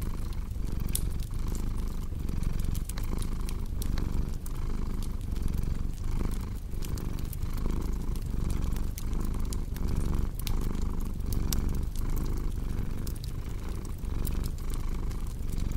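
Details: Long, even cat purr, a deep continuous rumble pulsing in regular breath cycles about twice a second, accompanied throughout by the snapping crackle of a fireplace.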